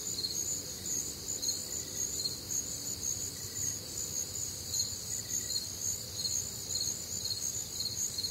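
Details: Crickets on a warm, humid Midwestern summer night, a dense chorus of high pulsed chirps repeating about twice a second in several overlapping bands, with faint other nocturnal sounds and a low rumble beneath.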